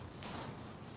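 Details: A single short, piercing high whistle from Bubba, a round-tailed ground squirrel described as ready for hibernation, steady in pitch and lasting a fraction of a second over a quiet, low background hum.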